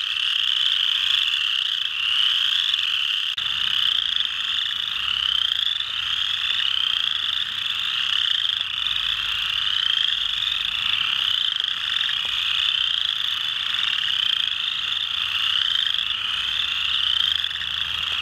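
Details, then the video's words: Chorus frogs (Pseudacris) calling together at Mud Hen Marsh, Delaware County, Ohio, USA, on 12 March 2020: a dense overlapping stream of high, rising, comb-like trills. "Chorus Frog (Pseudacris)"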